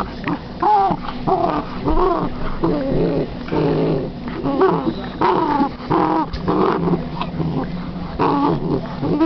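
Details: Millie, a female Basset hound, playing with her new toy indoors: a run of short, rough growls mixed with higher whining and yipping tones, coming in bursts with brief pauses between them.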